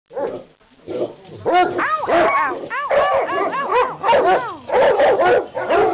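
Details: Several pet dogs at Christmas, worked up by a leg of lamb cooking in a crockpot, give rapid, overlapping, high arched yelps and whines. The noisy bursts rise and fall almost without pause for six seconds.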